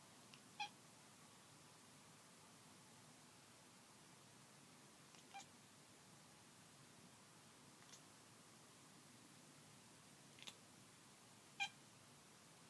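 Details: A kitten (domestic cat) gives a few brief, high-pitched, squeaky, weird-sounding calls spaced several seconds apart, during what is described as an attack.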